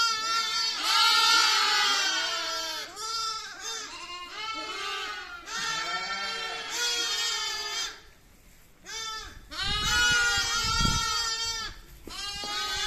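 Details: Little lamb giving repeated quavering bleats, each about a second or two long, in a steady series broken by one short quiet gap, with a low rumble underneath near the end.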